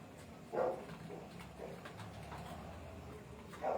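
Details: Desi dog puppy, an Indian pariah dog, evening of 11 July 2025: two brief squeaky yelps, one early and one at the very end, separated by quiet room noise with soft clicks and murmur between them.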